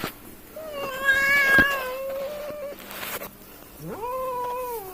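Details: Village cats fighting, with a drawn-out steady yowl, a brief louder wavering cry over it near 1.5 seconds, a short noisy hiss-like burst around 3 seconds, then a rising moaning howl that levels off near the end.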